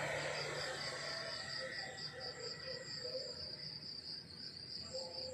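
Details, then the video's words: Countryside crickets at morning, giving a clear, high, pulsing chirp in a fast regular rhythm, with faint lower tonal notes scattered behind and a quiet rural background. "The beautiful sound of crickets chirping in the countryside in the morning"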